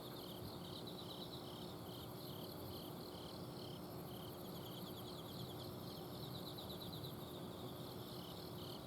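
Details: Autumn insects calling at night in a home garden in Azumino, Japan: a steady series of short chirps repeated about every third of a second, layered with faster trills and a thin high buzz, over the low hum of an air-conditioner outdoor unit.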